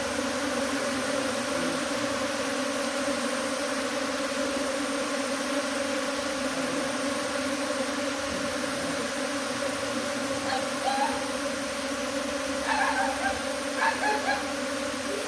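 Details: Swarming honey bees leaving a hive for a tree, making a continuous, even buzz with a low hum and a higher overtone, and a few faint brief chirps or clicks near the end.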